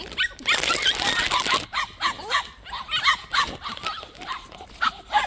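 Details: White puppies at a plum orchard give high, sharp yips after a burst of broadband noise in the opening second and a half, then scattered bark-like calls through the rest.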